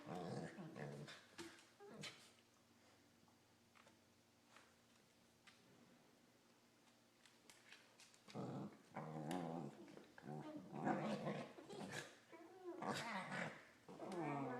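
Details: Pair of corgis play-mouthing each other, producing odd Wookie-like vocalizations: a burst of warbling groans, then a quiet stretch, followed by louder rumbling moans and growly whines in quick succession.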